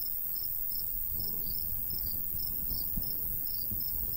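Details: Natural cricket chorus in summer countryside beside a golden wheat field: faint high chirps repeating rapidly and continuously, over a low breezy rumble with occasional gusts.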